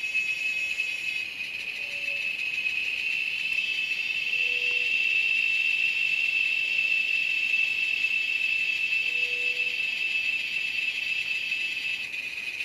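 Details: A cicada at an Amazon nature lodge gives a piercing, even buzz that runs continuously at a high pitch, with a faint hiss above. A few soft, low whistled notes from another creature sound briefly behind it.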